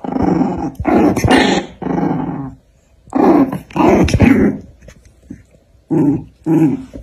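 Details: Two dogs, one black and one white, fighting; deep rough growls come in three bursts of about a second each with short quiet gaps between them, indoors.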